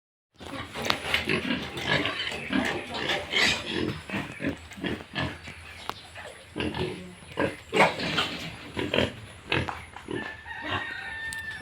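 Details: Yorkshire and Hampshire pigs, with piglets, on a pig farm in Bongaigaon, Assam, India: a dense stream of short, rough grunts overlapping one another, with occasional thin, higher squeals toward the end, from several animals at once.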